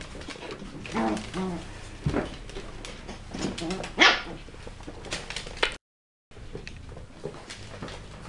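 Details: West Highland White Terrier puppies at a kennel, giving short, sharp yapping barks in scattered bursts, one loud bark near the middle, with low background noise and a brief gap of silence.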